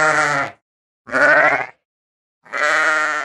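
A ram gives three loud, harsh, quavering bleats, each about half a second long, separated by short silences.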